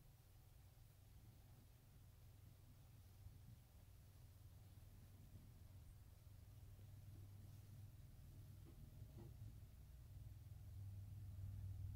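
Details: Near-silent indoor room tone with a steady low hum that slowly grows louder, and no animal sounds at all.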